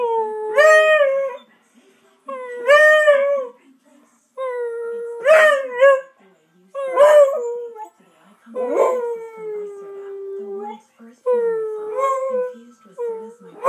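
A Beagle howls in drawn-out, mournful bursts, each wavering and bending in pitch before trailing off.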